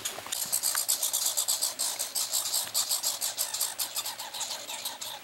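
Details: Pine squirrels duelling over peanuts during a summer vacation give a rapid rattling chatter, dense buzzy pulses packed closely and rolling on for several seconds, loud then softening slightly toward the end.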